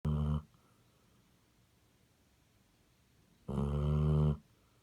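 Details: Sleeping Basset Hound snoring: two loud, rough, low honking snores about three seconds apart, the second longer, with near silence between them.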